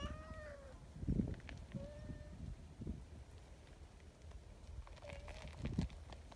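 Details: Community cats at a cat gathering, among them a tortoiseshell newcomer and a plump, kind-natured brown tabby; three drawn-out meows, the first sliding downward, the later ones shorter, over low rustling and shuffling footsteps.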